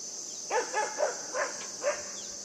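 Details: Puppy named Yufie yipping while playing with a buck outdoors: five short, high, tonal yaps in quick succession over about one and a half seconds, over a steady, shrill insect drone.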